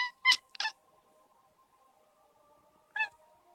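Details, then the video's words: Indoor cat making odd, short chirping meows while watching a light reflection move on the wall; three quick clipped calls at the start, then a pause and one more, with a faint steady tone underneath. "Cat making weird meow sounds"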